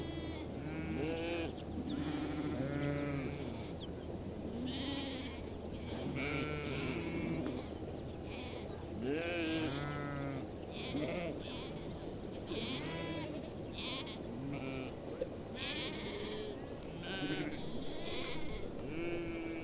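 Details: Large nomadic herd of sheep and goats on the Mongolian steppe, Bayandelger, Tuv province; a dense, continuous chorus of overlapping low and high bleats from many animals, with a steady low hum beneath.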